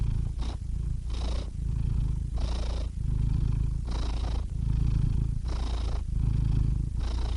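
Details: Steady low cat purr, the rumble rising in rhythmic breathy pulses about once a second, alternating inhale and exhale phases, quiet and close.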